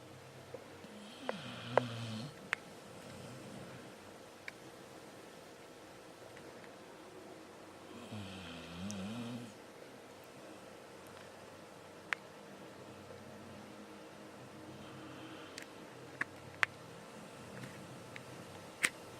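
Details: Xiaoxiao the cat snoring in sleep indoors; two slow, breathy snores near 1.5 and 8.5 seconds, each a low rumbling sweep with airy hiss above, separated by quiet breathing and scattered small clicks.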